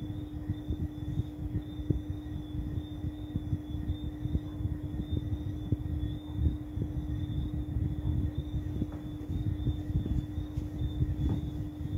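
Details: Constant low engine-like rumble with a steady tone and a thin high whine fills the recording, with no animal voice.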